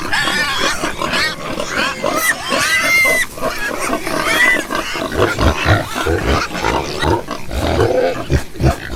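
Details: Several farm pigs with shrill arched squeals early on, then shifting to heavier low grunts and snuffling pulses later, a crowded and continuous herd sound.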